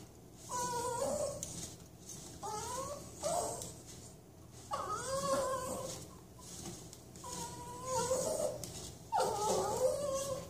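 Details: A Toy Manchester Terrier having its back scratched gives a series of drawn-out, tonal moaning whines that bend up and down, each lasting about a second, with pauses between them.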